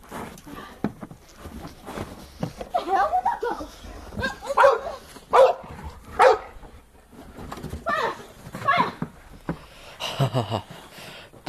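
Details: Boxer dogs playing in the snow give a few short, sharp barks spaced about a second apart near the middle, with human voices and rustling around them.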